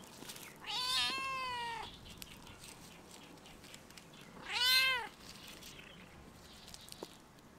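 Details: Stray domestic cat on a campus fence, meowing toward a passer-by: a long wavering meow, then a shorter arched meow almost three seconds later, followed by a faint click in a quiet outdoor setting.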